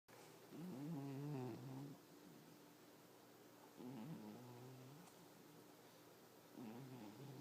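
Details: Sleeping pet cat snoring indoors: low, rasping breaths with a harmonic buzz, one long snore near the start and softer ones following, about four seconds apart, with a steady faint hum beneath.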